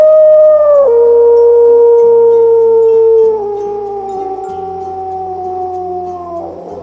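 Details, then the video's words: A gray wolf gives a long, smooth howl that slides slowly downward, over soft background music; wolves howl to bring the pack together and to send messages over long distances. "Hear that? Wolves howl to bring the pack together and to send messages over long distances."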